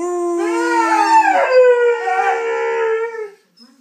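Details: A pet Saluki dog belting out a tune: a continuous, full-toned howl whose pitch bends upward and wavers, with layered tones sliding against each other, ending in a sudden drop to quiet.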